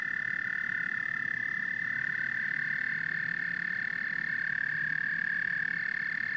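A dense frog chorus, many voices blending into a steady, high, ringing trill with no pause.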